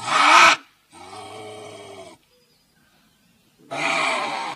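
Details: A Eurasian lynx gives harsh, strained screams in three loud bursts separated by brief silences.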